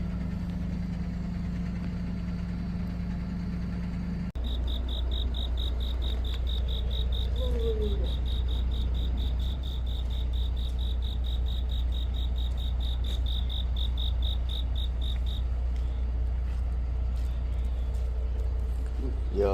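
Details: Cricket on an autumn night giving a long run of fast, high, steady chirp pulses for about ten seconds, set against a loud, steady low engine drone, with a brief voice and a rising squeak in between.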